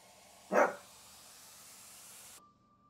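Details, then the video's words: Chihuahua named Maya in a tantrum demanding attention: a single short, sharp bark, then quiet room sound. "Dog tantrum | Maya's demand for attention"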